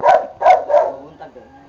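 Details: Boxer dogs Bonbon and Melchor during training: three short, loud barks in quick succession about a third of a second apart, followed by a softer fourth sound and then a person talking.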